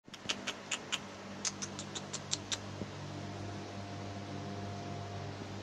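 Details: A lone captive female Mona monkey, still kept alone, utters about a dozen short, piercing, high chirps in quick succession, then falls quiet, over a constant fan-like mechanical hum.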